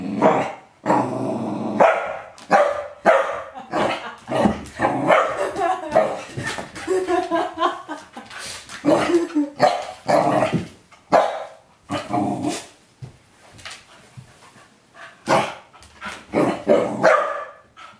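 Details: Indoor corgi reacting loudly to being shown bitter apple spray, used to stop him eating his poop; near-continuous run of harsh barks, yips and growling grumbles in irregular bursts, with some human speech mixed in.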